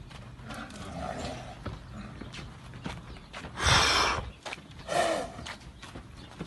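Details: Purebred Arabian filly sired by the stallion Equator; two loud, breathy bursts near the fourth and fifth seconds, the second with a short tonal edge, over rustling, hoof knocks and faint handling noise.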